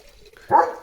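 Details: A single loud, clipped bark from Leo, a pet German Shepherd who has just woken up late in the morning. The bark is abrupt and full-bodied and fades quickly after a quiet lead-in.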